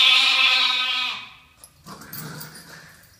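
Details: A pet lamb bleats in reply to its owner's voice, one strong, steady baa of about a second that fades out and is followed by soft household rustling and faint low sounds.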